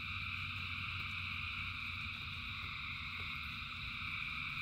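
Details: A huge frog chorus during rain. Continuous layered trilling holds a constant level throughout, over a deep steady rumble and scattered faint patter.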